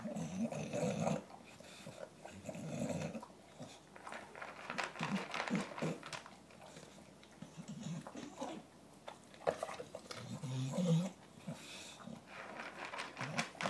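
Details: Eating his dinner inside while other dogs are near, Gavin gives intermittent low growls, strongest at the start and again late in the clip, mixed with chewing, bowl clatter and room noise.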